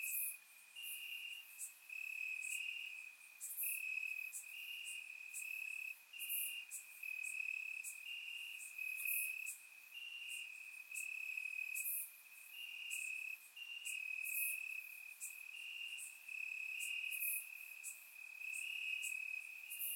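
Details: Warm summer night in Bulgaria with crickets chirping in the grass; a constant high-pitched trill layered with repeated pulsing chirps from multiple insects, captured on a surround microphone.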